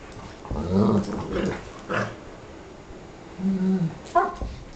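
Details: Dogs barking: several short, deep, gruff barks in an irregular series, with a sharper higher bark near the end.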